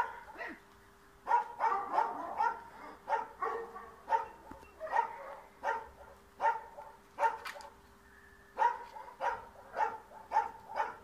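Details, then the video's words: Barking dog in a Bulgarian yard trying to chase off a cat, a long rapid series of sharp barks, several per second at times, with a brief pause near the middle and a steady hum beneath. "Dog Trying to Chase a Cat Out of the Yard"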